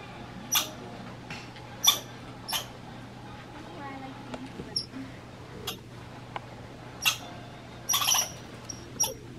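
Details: An American red squirrel in Minnesota, described as grumpy, gives sharp, scratchy chips and short bursts at uneven intervals.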